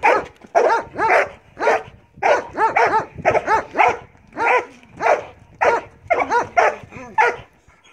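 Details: Belgian Malinois named Marley in bite work training, giving a long string of loud, clipped barks at roughly two per second, some doubled into quick pairs, with short gaps and no other clear sounds.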